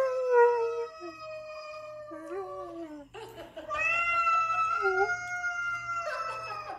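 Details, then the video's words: Spencer the Irish Setter howling along to a recording of a yelling cat; long harmonic wails break and restart, sliding down then rising again, with a low steady hum underneath. "Spencer the Irish Setter reacts to video of a cat yelling."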